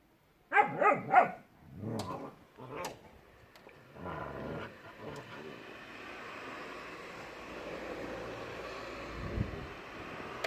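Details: Puppy and adult dog, Shira and Enzo, at play in a yard: a quick run of three sharp barks, then lower gruff barks trailing into a steady background rush.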